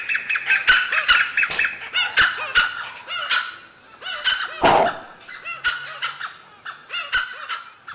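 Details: In the morning, with dew still on the grass, langurs give loud, harsh, honking alarm barks in quick, uneven bursts as a pack of dholes trees a leopard nearby.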